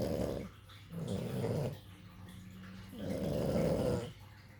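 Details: Two sleeping puppies snoring: slow, gravelly, growl-like breaths that rise and fade in three swells over a few seconds, indoors with little other sound.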